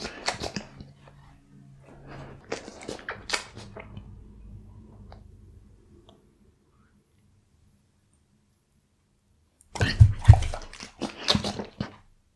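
A Bull Terrier chews raw beef with wet, crunching bites in irregular bursts, with a low hum behind.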